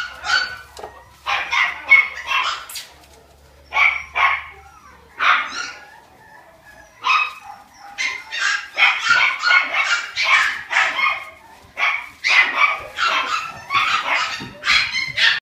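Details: Several Cavalier King Charles Spaniel puppies on a breeding farm, barking in shrill, rapid volleys of short yaps, with a few short silent gaps between bursts and a faint low hum early on.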